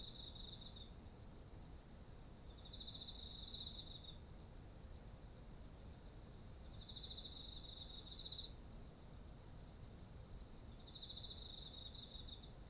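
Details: Insect voices of autumn next to rice fields laden with ripe grain, recorded on a ZOOM H1essential: quick trains of bright pulsed chirps broken by short pauses, layered over an unbroken high-pitched insect drone.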